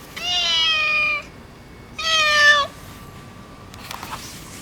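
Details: Affectionate neutered orange tabby boss cat utters two long, loud meows, the first over a second and the second shorter and slightly rising at its end, then faint rustling follows.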